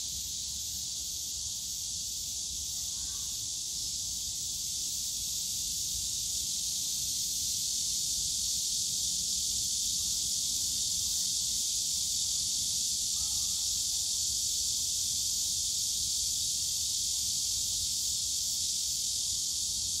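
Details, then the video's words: In the bamboo forest of Yongsan Family Park on a summer day, massed cicadas keep up a constant sizzling high drone, swelling gently midway, with faint low rumble of the surrounding park. "용산가족공원 대나무숲 매미소리"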